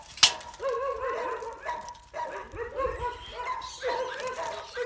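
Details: Working-line Bull Terrier puppy with a rat, giving a fast run of high, strained yips and whining barks in short bursts, one after another with brief gaps, with a sharp knock near the start.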